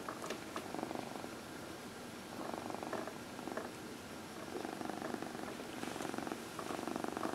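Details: Dinah, a 14-year-old adopted shelter cat, purrs during her early evening lap-time massage, a steady low rumbling purr with pulsing breath-by-breath swells repeating every second or so, indoors.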